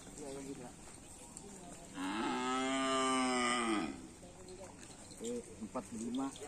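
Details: ['Karapan Sapi race bull at a training session on Asemanis field: a loud, rich moo lasting about two seconds rises and then falls, with softer calls and background music around it.']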